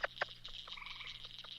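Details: A spotted chorus frog in Texas, a species of moist grassland and prairie habitats, gives a quick run of squeaky, pulsed notes rising in pitch, like a finger run over comb teeth.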